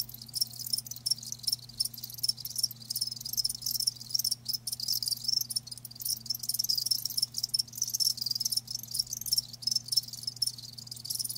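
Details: Several live crickets keep up a continuous shrill chirping, thin high pulses packed closely together, with a soft low drone in the background.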